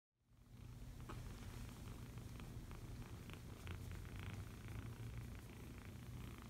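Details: Foster kitten purring steadily while being cuddled indoors, a continuous low rumbling drone throughout after a brief silent start, with faint soft rustling clicks above.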